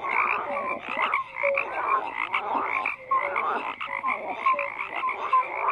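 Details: Many frogs call at once in a thick, continuous chorus: rattling croaks in uneven bursts, broken by brief pauses, with a few short, pure, piping notes standing out in the second half.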